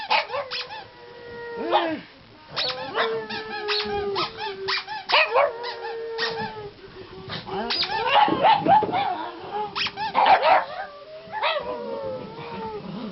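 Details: Three pugs, one a black pug, howling indoors while their squeaky toy is squeezed; long wavering howls with rising and falling pitch overlap repeated sharp squeaks, with human voices between.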